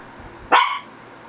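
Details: One sharp, bright bark from a Shih Tzu, a single quick burst that fades within a quarter second over a quiet background hum.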